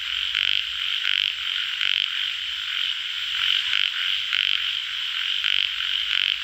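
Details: Yellow frog, or tiger frog, giving grating croaks in uneven bursts, some close together and some after short pauses, above a continuous shrill background chorus of frogs.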